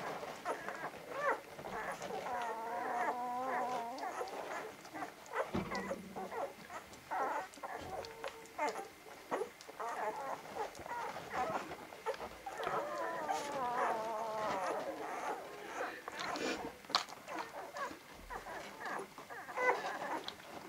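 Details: Vizsla puppies from Batai, filmed 10 January 2013 about a week on, whimpering and whining in wavering, high-pitched tones that rise and fall, several overlapping cries in a steady stream, with soft shuffling and knocking noises between them.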